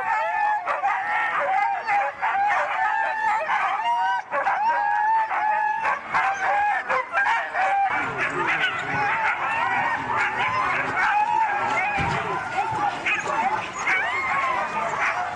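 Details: Crowd of Siberian huskies at an East Anglia race, a dense, continuous mass of wavering howls, yodel-like yowls and short yips from many dogs at once, with no pause throughout.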